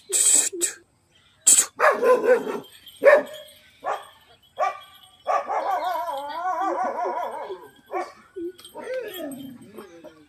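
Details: German Shepherd dogs fighting: a run of sharp, loud barks in the first three seconds, then long wavering, quivering cries and whines that rise and fall, broken by a few more short barks.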